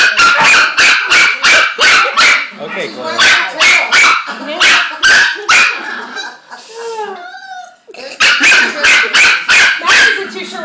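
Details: German Shepherd puppy in a puppy class, holding a back-and-forth exchange; loud rapid barks repeated about three times per second, broken by a rising, wavering whine and yelps midway, with a person talking.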